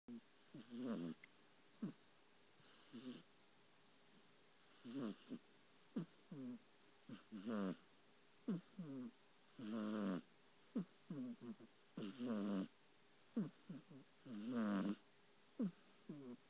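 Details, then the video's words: Burmese kitten snoring loudly while asleep, recorded on an iPhone 4: soft, low, rasping breaths recur about every two seconds, each with a wavering, gurgly inhale and a short breathy exhale, in a quiet room. "Snoring Burmese Zombie Kitten"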